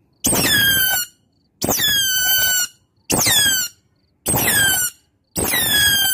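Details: Otter calling to its companions as a lure call: five near-identical squeals, each just under a second, repeated about every 1.2 seconds, each opening high, dropping quickly, then holding a level, bright whistle; silent gaps between.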